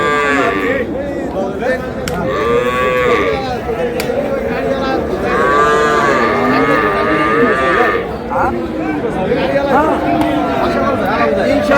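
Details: Cows with calves at Ambari livestock market (haat), Dinajpur, Bangladesh, on 20 February 2026; several deep, harmonic moos rise and fall in overlapping succession above a steady murmur of crowd chatter and bargaining voices.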